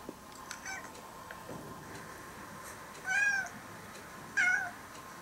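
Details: Stray orange-and-white kitten, now nearly a house cat after over four years of care, meowing in Japan; two clear harmonic meows around three and four and a half seconds, faint earlier sounds, steady hum indoors.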